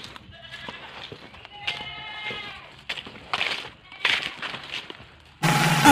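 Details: Young goat kid left behind by its mother, giving a wavering, harmonic-rich bleat about two seconds in, with fainter calls, clapping and music around it and a sudden loud noisy burst at the end.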